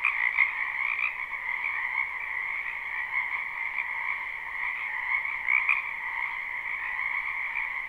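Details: Wild frogs croaking in spring in a wetland behind a house, recorded live at night without looping: a dense, continuous chorus with steady bands of trilling calls, the many overlapping voices merging into an unbroken pulsing drone.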